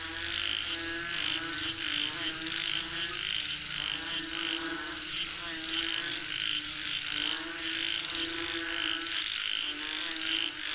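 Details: Frogs calling for rain: a dense chorus of pulsed, harmonic croaks that overlap continuously, with a steady high-pitched insect whine running through the background.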